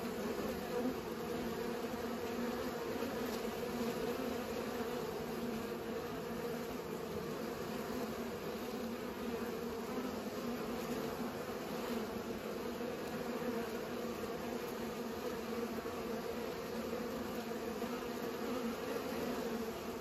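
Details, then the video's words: A constant humming drone from bees at work pollinating, many wingbeats blending into one smooth, unbroken buzz that neither rises nor falls. "Bees pollinate"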